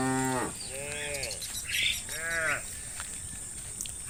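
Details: Cattle in the fields in late afternoon calling friends to return to the barn: a short moo, then two rising-and-falling moos about a second apart, with faint chirps and a persistent high insect hum behind.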